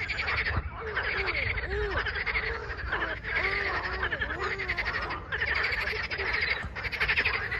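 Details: Singing frogs on 21 April 2023: continuous rattling pulsed trills in overlapping waves, with lower arching croak-like notes repeating through the middle and a steady low rumble beneath.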